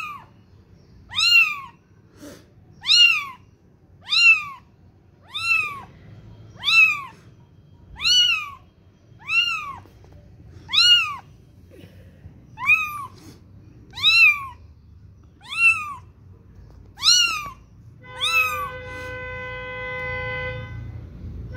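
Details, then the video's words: Kitten calling for its mother with a rapid run of about a dozen thin, high, arched mews at steady short intervals. A steady held electronic-like tone takes over in the final few seconds. "little kitten searching his mom||little kitty mews"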